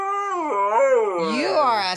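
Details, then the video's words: Pet Siberian Husky talking: a short, wavering, voice-like howl that dips and rises in pitch over about two seconds, with a person chatting to the dog. "Huskies Singing 🎤 | Husky Singing & Talking"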